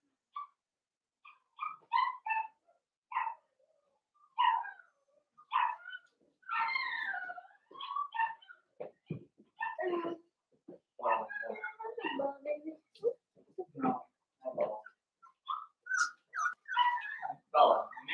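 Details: Soft whimpers and small squeaks from Blenheim Cavalier King Charles Spaniel puppies in a home puppy pen, a litter of five born at New Year's. The calls are quiet, short and scattered, with brief pauses between them.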